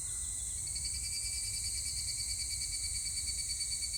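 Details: Continuous high, wavering ring of higurashi cicadas, 25 July 2019, the tone gently pulsing and shimmering in several layered bands while low background noise murmurs beneath.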